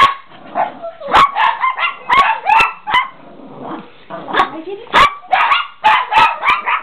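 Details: A few worked-up Chihuahuas bark and yip in quick clusters of sharp, high yaps separated by short pauses, with a whiny rising tone and faint voices in the background.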